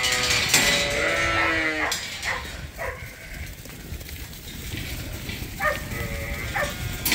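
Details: Sheep crowding at Ewetopia Farms in the morning before release to fresh grass; a strong quavering bleat opens, followed by shorter, fainter calls from the flock over steady farmyard noise.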